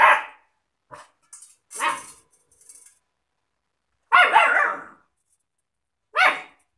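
A German Shepherd puppy gives short, high, yappy barks with gaps between them.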